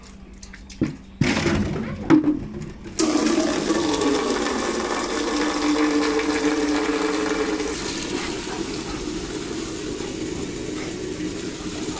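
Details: Low rustles and clicks give way to a steady rush of running water, like a filling tub or flushing toilet, with faint speech in the background.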